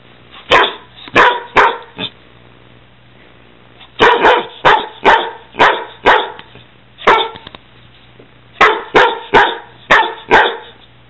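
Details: Playful barking from a 6-month-old Weimaraner and a 6-year-old Catahoula romping together indoors: loud, sharp barks in bursts of three to five, with short pauses between groups.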